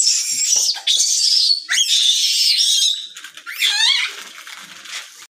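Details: A langur gives shrill, harsh shrieks and wavering, rising squeals in quick bursts; a mother langur is said to be hitting her baby.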